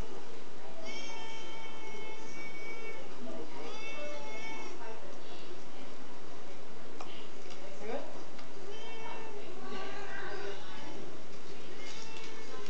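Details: Pet cat Niko, said to be nervous and glancing behind him, lets out several stretched, tonal meows early on and another wavering run later, while human voices chatter and room noise hisses throughout.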